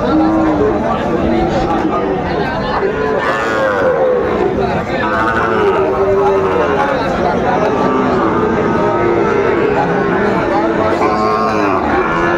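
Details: Cattle at a crowded Bangladeshi market in Kushtia on 6 May 2024, where Shahiwal and Friesian bull calves are sold; repeated drawn-out moos rise and fall across the recording beneath steady human chatter and haggling voices.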